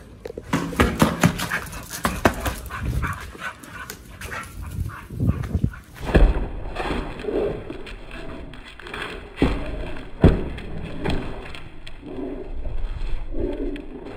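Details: Raw-fed pit bulls crunching raw quail and giant sea bass skin: dense bursts of crackling chews and bone snaps for about six seconds, then quieter mouthing with soft low cooing pulses in the background.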